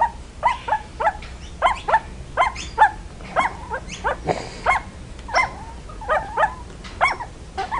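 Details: Puppies barking in quick, sharp yelps, often in pairs, repeated steadily for about eight seconds with short gaps.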